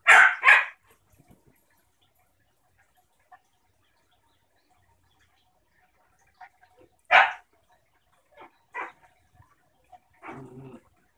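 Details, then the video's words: German shepherd puppy and her 6-year-old sister, a basenji pit bull mix, playing indoors: two loud sharp barks open, then a bright bark near seven seconds, followed by shorter yips and a low rough growl-bark at the end. "German shepherd puppy and adult Basenji Pit play"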